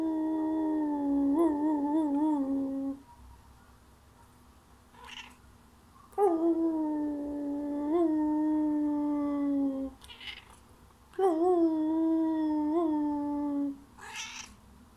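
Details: A chatty Thai Siamese cat gives long, wavering meows that dip and glide downward, eagerly answering howling; recorded May 2019.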